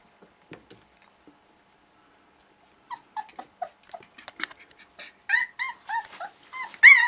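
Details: Young puppies from a litter born August 2013, indoors during their first play and noise sessions: sparse soft sounds at first, then a run of high yelping whimpers and squeals that grows louder and more frequent toward the end.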